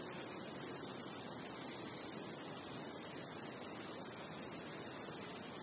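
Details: Crickets chirping at night under a starry sky, a dense, unbroken high shimmering trill from many insects with fast pulsing throughout, no other sounds.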